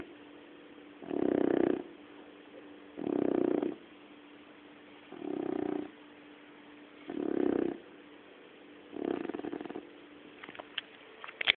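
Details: Sleeping puppy snoring in a steady rhythm: five rough, low, rasping breaths, each about half a second long and spaced about two seconds apart, followed by a few faint clicks and rustles.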